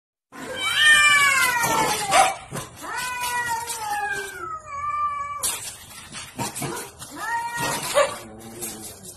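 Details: Domestic cats fighting while a dog looks on as referee: long wavering yowls with stacked harmonics, gliding down and then rising, in overlapping bursts with brief hissy noise between them and a drawn-out steady howl near the middle.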